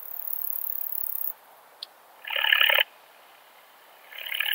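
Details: Montana montana singing at Siegersdorf, Austria, 15 June 2020, with a Pettersson D 100 ultrasound detector in use: a high sizzling phrase, a brief tick, then a harsher mid-pitched rattling burst, followed by another starting.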